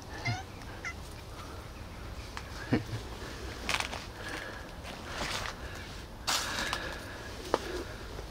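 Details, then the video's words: Tiny lost kitten found near the back of an old supermarket, giving a short, bright, downward-sliding mew at the start, then a few fainter scattered mews amid rustling, footsteps and a person talking. "I found tiny kitten near back old supermarket"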